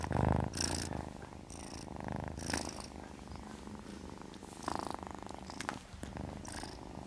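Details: Witty the kitten drifting off to sleep, purring in a throaty rumble that rises and falls with its breathing, about a dozen breath cycles, with soft bursts of hiss-like rustle between.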